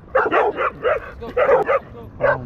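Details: Dog barking during a dog park confrontation where a territorial Pit Bull attacks a Belgian Malinois: a fast series of around eight high, clipped barks in bursts of two or three, little background noise.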